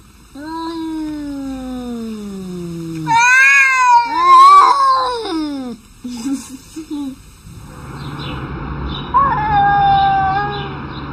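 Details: Arguing cats: a long, low, moaning yowl slowly falling in pitch, then louder wavering, bending wails, a few short broken cries, and finally a noisy, hissy stretch with a faint tonal whine.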